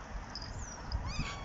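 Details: Rescue cat out in a home garden on a sunny morning, one of three named Lucy, Tutu and Binx, gives a faint, brief rising meow with stacked harmonics near the end, over low rumbling background noise and faint high chirps.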